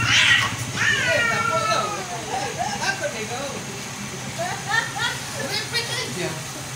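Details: Cats fighting: opens with a harsh hiss and a falling yowl, followed by shorter broken growling cries and choppy yowls scattered through the rest, over a low steady hum.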